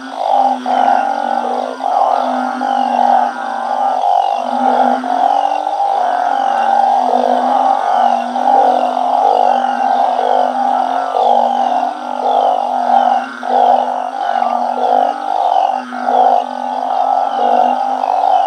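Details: Truncate-snouted burrowing frogs breeding naturally in a home garden pond area. Dense overlapping moaning calls at night form a constant chorus, with brief groaning notes repeated roughly every second.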